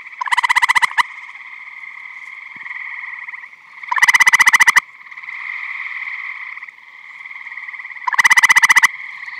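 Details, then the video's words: Eastern gray tree frogs calling at a vernal pond in Michigan, spring or summer: a nearby frog gives loud, rapid pulsed trills lasting under a second, repeated about every four seconds, over a continuous droning chorus of many frogs. "Eastern Gray Tree Frog Vocalizing"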